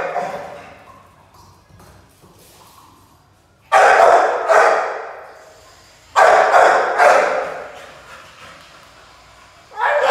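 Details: Playful Pit Bull puppy letting out two clusters of sharp, loud barks, each cluster of two to three barks, separated by a few seconds of near silence with faint background noise.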